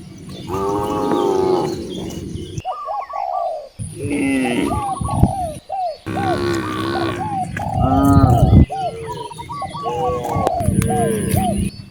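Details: Hungry village cows near vast rice fields give long, rich moos around the start and again midway, each over a second long, with a steady chorus of quick, hooked chirps repeating in between.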